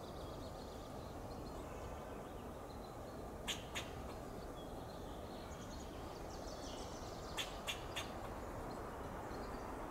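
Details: A fox squirrel (Sciurus niger) foraging on an oak tree in Del Monte Forest, California, gives sharp, clicking alarm chucks in short bursts over a steady background hiss.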